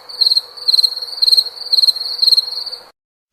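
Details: Cricket chirping in short pulsed bursts about every half second, a high bright trill repeated five times before stopping abruptly.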